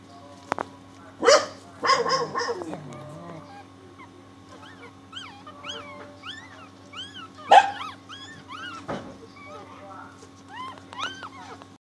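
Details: Six newborn puppies, born early this morning to the family dog Missy, squeak in thin, high, arched peeps that rise and fall in quick strings, over a steady low electrical hum and a few clattering knocks.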